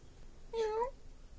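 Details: Curious Havana Brown cat with multicoloured eyes giving a single short, clear meow of about a third of a second, slightly rising then dipping, indoors and quiet, with a person speaking to it before and after.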